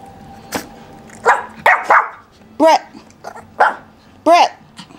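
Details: Puppies Brett and Bunny at an Akron, Ohio breeder, the male Brett yelping in three short, arched, tonal yips toward the end, after a person calls their names in a room.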